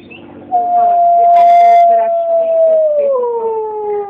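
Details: A Mexican gray wolf living at a wolf sanctuary in Conroe, Texas, gives a long, smooth howl that holds steady, then slides down in pitch.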